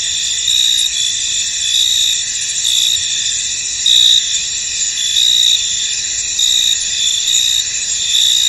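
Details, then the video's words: In a misty field, crickets keep up a steady high-pitched shrilling chorus, with louder trilled phrases breaking through every second or so and one brief, stronger burst midway. "Tranquil Cricket Sounds In An Misty Field"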